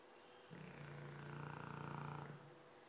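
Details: One low, buzzing snore from the Dogue de Bordeaux Fofuxo, steady for about two seconds with a pulsing flutter, set against a quiet room.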